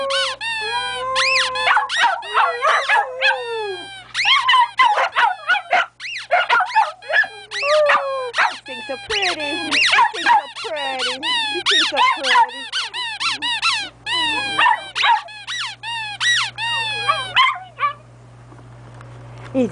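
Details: Bichon Frise and Golden Lab pets answer a squeaky toy with howling; wavering, sustained howls run through dense, fast squeaking for most of the stretch, with a brief human voice and quieter ending.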